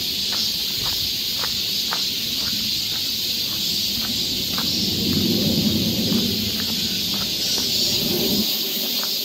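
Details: A steady, high, sizzling cicada chorus fills a summer forest trail in Seoul, Korea, accompanied by regular sharp tapping sounds and a brief low rumble midway.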